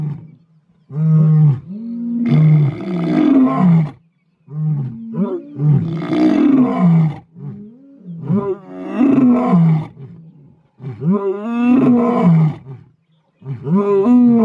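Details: A roaring bout by big male lions, the Mpondo males of South Africa: a sequence of about six heavy, throaty roars, each lasting one to two seconds, with short breaths and grunts between.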